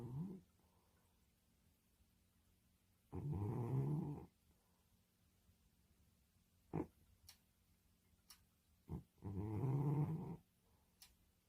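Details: Sleeping domestic cat snoring indoors: two long, deep rasping snores, each lasting about a second and spaced six seconds apart, with faint soft clicks in the quiet between them.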